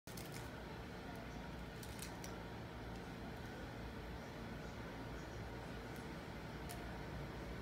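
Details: Steady low mechanical hum with faint clicks and a few distant voices, no animal calls.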